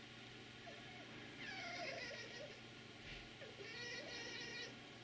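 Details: Red fox vixen with a gentle demeanour grooming a visiting dog fox in a garden; soft greeting calls, faint, whining and wavering, in two bursts with a brief pause between, over a steady low hum.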